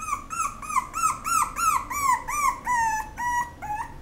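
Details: Female Toy Poodle with an apricot coat whining nonstop, a quick series of high arched whimpers, roughly three per second, each rising then dropping, the last few flatter and longer, with faint indoor background hiss.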